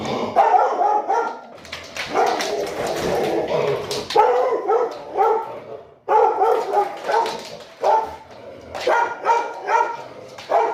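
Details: Domestic dog barking at the mailman after its owner urges it on, an example of territorial barking with clear triggers; harsh, loud barks come in dense bursts with brief pauses, joined by an excited human voice.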